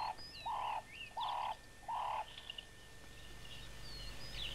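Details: Spotted hyena (Crocuta crocuta) cubs give short, hooting calls in a quick series, with birds chirping behind them; old VHS recording.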